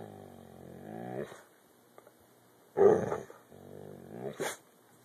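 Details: Domestic dog growling and barking on a hand command, teased but rewarded with biscuits: a sustained low growl, a loud harsh bark, then another growl closing in a brief sharp yip-like burst.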